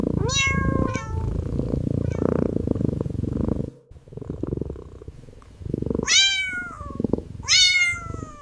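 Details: Calico kitten lying on wooden stairs, purring and giving soft affectionate mews, recorded up close: a rough continuous purr, then two clear rising-falling mews, a brief pause, and two more bright mews near the end.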